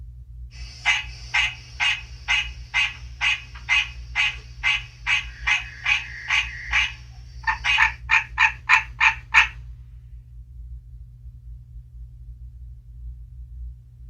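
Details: A recording of an American green tree frog played to captive frogs in mid-March near spring: a series of nasal, honking notes, about two per second for several seconds, ending in a faster burst over a steady low hum, then calling stops.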